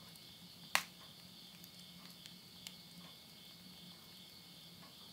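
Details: Insects at midnight in September 2020 at the end of summer in countryside Tottori, Japan; steady high continuous chirring drone, with crackling and popping of burning wood in a stove, one loud snap early on.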